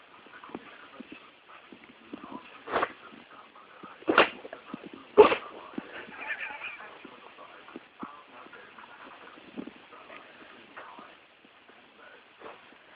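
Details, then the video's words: Dog sneezing, recorded on an Android phone: three sharp, explosive bursts at uneven intervals, with quiet human voices murmuring in the background. "Cute Dog Sneezing"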